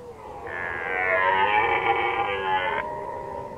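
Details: Red deer stag in rut, Lower Oder Valley National Park, Germany, 2019: one sustained rich harmonic roar of over two seconds, swelling and then dropping to a lower fading tail.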